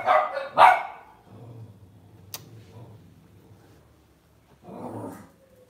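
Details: Lhasa Apso house dog: two quick harsh barks right at the start, a long quiet stretch with a faint click, then one more muffled bark.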